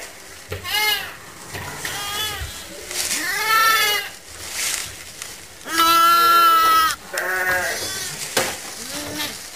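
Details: Motherless lambs held in a pet lamb pen on a farm, watched over and fed regularly; several wavering, nasal bleats overlap and repeat from more than one lamb, with brief pauses between them.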